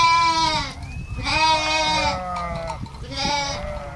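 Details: Sheep or lamb bleating: two long wavering harmonic bleats, the second trailing into a lower falling tail, then a shorter third bleat near the end, over a steady low background rumble.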